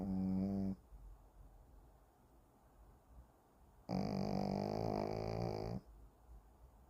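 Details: Shih Tzu named Kim Simon in deep sleep, snoring indoors: two droning, buzzy snores with a steady low pitch and rich overtones, the first brief, the second about two seconds long, separated by a quiet pause.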